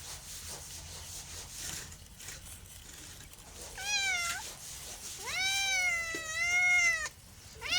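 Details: A house cat gives a short falling meow, then a long, drawn-out, wavering meow lasting about two seconds, with a quiet noisy stretch before it.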